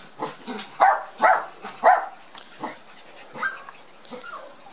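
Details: Border Collie pups from Gem and Sky, out in the garden for the first time after their first vaccination, yap three loud high barks about half a second apart, then softer yelps trailing off.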